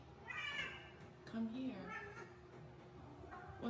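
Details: Tommy, a needy and vocal pet cat, answers as its owner calls its name, giving a short wavering meow amid the owner's affectionate speech.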